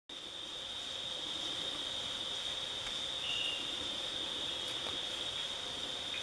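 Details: Magdalena giant glass frog (Ikakogi tayrona), endemic to the Sierra Nevada de Santa Marta: a steady, high, continuous tonal whine held throughout, with a brief lower-pitched dip near the middle over a constant background hiss.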